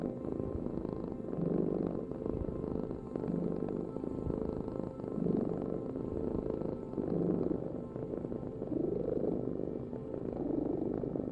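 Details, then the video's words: Cat rumbling out a deep, even purr, its loudness rising and falling in regular breath cycles about every one and a half to two seconds; otherwise quiet. "Heal with the ultimate cat purring vibration"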